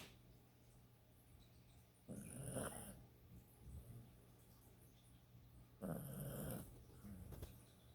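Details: Shnappy the dog snoring while asleep: two loud, rough, rasping breaths about four seconds apart, with quieter snuffling between, over a steady low indoor hum.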